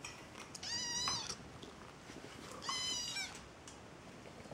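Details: A kitten making sounds while eating gives two drawn-out, high, wavering meows about two seconds apart, each rising then falling, over faint background hiss.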